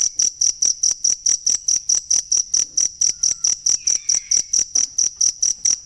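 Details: Insistent, evenly spaced high chirps from a cricket, around two dozen in quick succession, kept as tutoring material for songbirds; a faint downslurred whistle briefly sounds midway.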